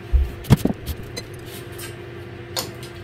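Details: Soft background music plays under a few thumps and clicks in a small room.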